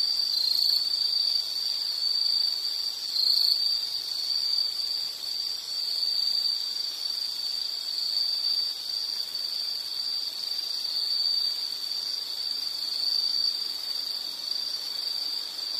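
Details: An insect chorus holds a shrill, unbroken high buzz with brief brighter pulses scattered every few seconds, over a quiet background.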